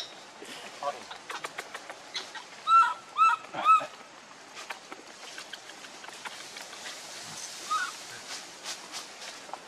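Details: Hungry baby monkey Leo cries and begs its mother for milk with three loud, tonal squeaks in quick succession, each slightly arched. Scattered clicks and rustling sounds surround them, and a softer squeal follows later.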